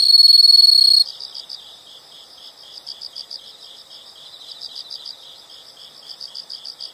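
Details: Insects chirping in a nature recording: a loud, steady high trill for the first second, then softer rapid pulsed chirps repeating about four per second through the rest.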